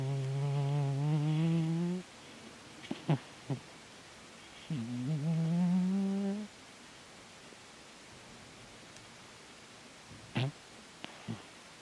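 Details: Domestic cat Chataro asleep and snoring indoors: two long droning, low humming snores of about two seconds each, separated by a quiet pause, with a few soft clicks and knocks in between.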